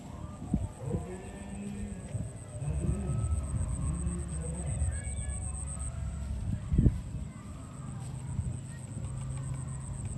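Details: Farm cows being herded to the barn; low, drawn-out moos with gently bending pitch stretch over several seconds, set against steady rumbling background noise and faint high chirps.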